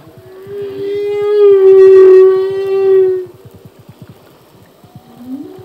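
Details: Humpback whale song phrase from a male singing at sea: one sustained, loud, harmonic moan lasting about three seconds, slightly wavering, followed by quiet and a short rising sweep, with steady soft ticking pulses underneath.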